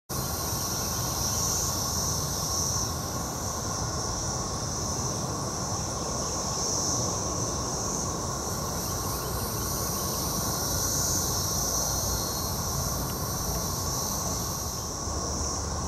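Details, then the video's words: Periodical cicadas of Brood XXIII (Magicicada) chorusing in Jackson, Mississippi, in 2015: a steady, unbroken droning hum with a faint higher shimmering hiss above it, over a heavy low rumbling background. "Cicada Sounds in Mississippi"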